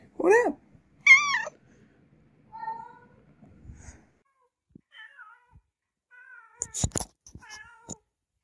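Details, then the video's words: Cats and kittens meowing: two loud, bending meows open the recording, followed by quieter, shorter mews, soft chirps and a few sharp clicks or knocks. "Funny Cats and Kittens Meowing"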